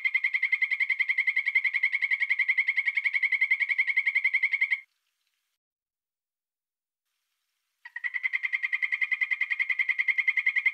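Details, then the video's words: Poison dart frog producing steady, fast trains of mid-pitched pulsed notes, over three per second, one train of nearly five seconds, a three-second pause, then another begins. "5 popular poison dart frogs - call and sound"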